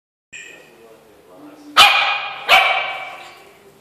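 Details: A Yorkshire Terrier seeing itself in a mirror for the first time gives two sharp, high-pitched barks in quick succession, after a brief human voice.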